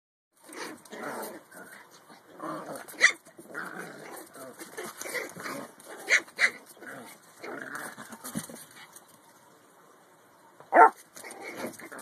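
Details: Small pet dogs play fighting over an empty box indoors: bursts of rough growling run throughout, broken by sharp, loud barks near three, six and eleven seconds, with brief quiet gaps between scuffles.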